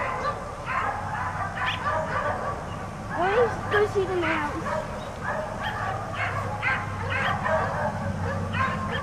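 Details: Four dogs left outside all day bark in rapid, overlapping bursts throughout, with a short whining yelp near the middle and a steady low hum underneath.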